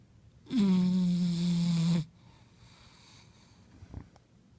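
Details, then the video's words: Sleeping bulldog snoring: one drawn-out, nasal, droning snore of about a second and a half, low and steady with a slight downward slide in pitch, followed by quiet breathing. "Snoring Bulldog"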